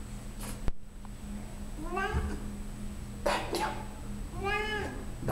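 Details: Female Siamese cat, 14 years old, vocal indoors while showing off her belly; two clear, bending meows about two seconds apart and a brief thump, with steady low hum underneath.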